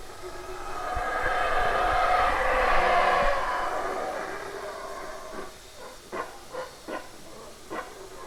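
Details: Howler monkey roaring: a deep, breathy roar swells to a peak around three seconds and fades. Several short, separate grunting pulses follow about every half second toward the end.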